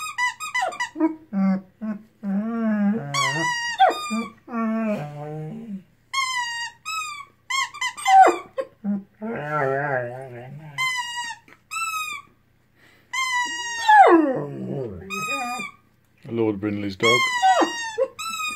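A Weimaraner sings in wavering, high whining yelps and howls, broken by low, grumbling groans.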